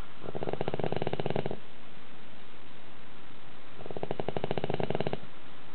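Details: A dog asleep at home, snoring with a roar compared to a middle-aged man's. Two buzzing, fluttering snores of about a second and a half each come roughly three seconds apart, with quiet breathing between.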